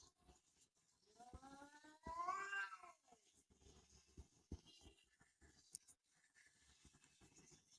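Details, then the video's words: Faint cat meow, rising then falling, heard once in the middle against a hissy background with scattered knocks and clicks. "Funny cats talking and yelling like humans"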